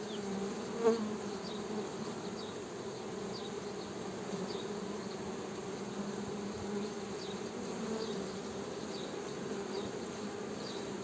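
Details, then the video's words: Honey bee buzzing, a constant low hum with a soft steady drone, with one brief tap near the start and faint high chirps in the background. "Honey Bee Buzzing Sound"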